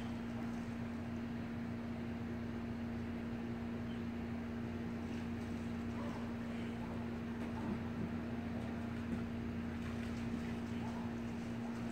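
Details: A steady engine-like drone with a constant low tone sits under faint wind and water noise, and no animal voice.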